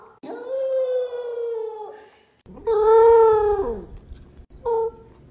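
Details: Corgi puppy, female, howling while eating, out of happiness: three drawn-out tonal howls, the first long and steady, the second louder and wavering then sliding down, the last short, with chewing and bowl noises underneath.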